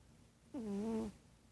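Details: Snoring house cat giving a single half-second voiced breath, a low buzzy drone that holds steady and dips slightly at the end, in a quiet indoor setting.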